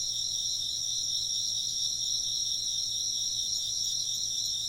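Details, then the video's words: Chirping insects fill the air with a constant high, pulsing trill in two bright layers, steady from start to finish, with only a faint low hum behind. "風鈴の音と虫の声 - wind chimes and chirping insects"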